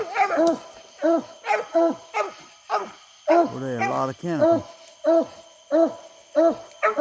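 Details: Baying English Coonhounds on a summer night coon hunt, short bent bawls repeated roughly every half second, with one longer drawn-out howl midway; a thin night-insect whine continues throughout.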